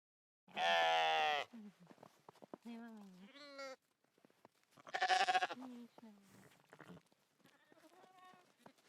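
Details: Domestic goat giving a loud, wavering, nasal bleat lasting about a second, then softer quavering bleats that bend down in pitch, and a second strong bleat near the middle, followed by fainter trailing cries.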